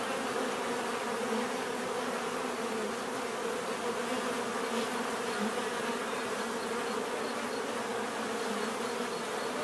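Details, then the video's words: Continuous humming of many bees, a layered low drone holding steady throughout without breaks, like a busy hive or swarm close by. "bees therapy relaxing natural buzzing sound"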